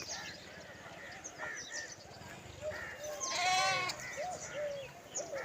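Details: Several lambs calling for their mother while foraging together: overlapping wavering bleats from a flock, one loud quavering bleat near the middle standing out above softer ones, over a steady hiss of background noise.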